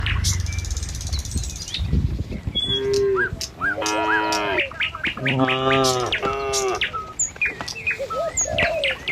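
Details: Tame cattle herd walking along a village road toward their pen in the morning: several drawn-out, harmonic moos, some deep and some higher, each about a second long, with bright bird chirps scattered above.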